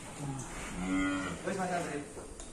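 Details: Full-blood Black Angus bull at a cattle pen, said to weigh about 850 kg on arrival and an estimated 1.1 tonnes now. A short, fairly quiet, low harmonic moo rises and falls over men's conversation.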